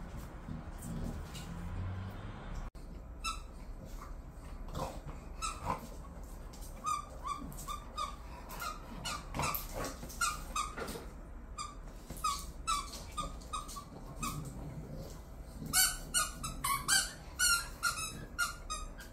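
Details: Two pet bulldogs, Khan and Ali, bored at home: a string of short, high, tonal whines and yips, some rising, scattered through the recording and coming faster and louder near the end, over low background rumble.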